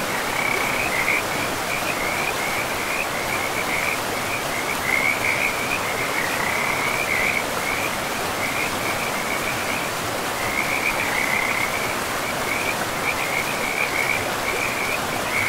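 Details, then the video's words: In a pristine forest, frogs by a river keep up a nearly unbroken series of rapid, warbling trills, rising and falling slightly in loudness, above an even roar of flowing water throughout. "River and Frogs sleep sounds"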